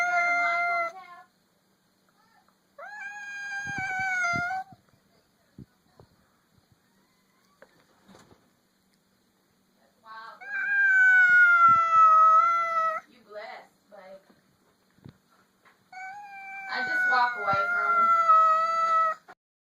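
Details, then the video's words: Domestic cat vocalizing at another cat met for the first time: four drawn-out, tonal yowls of one to three seconds, some wavering and falling, with quiet pauses and faint clicks between. "Cat making a strange noise."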